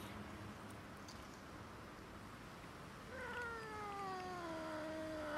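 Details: Cats and kitten squabbling over food. After three quiet seconds, one long wailing meow slides steadily down in pitch for over two seconds and rises in loudness at the very end.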